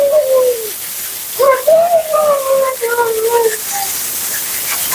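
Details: Whining from Mila, a dramatic, vocal Siberian Husky being bathed and groomed: smooth gliding tones, a short falling note, then a longer wavering whine that sags lower, set against a steady hiss of spraying water.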